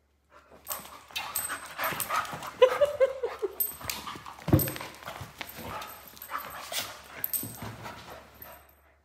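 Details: A female Vizsla puppy growls and yips in short, rough bursts while play-fighting with her sister.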